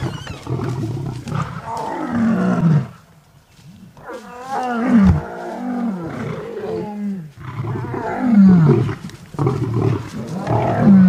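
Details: Clashing wild lions at sunrise on August 11: three males confront a pride with cubs, and the females try to protect them. Loud, raspy, falling roars and snarls come in four heavy bursts with short quiet gaps.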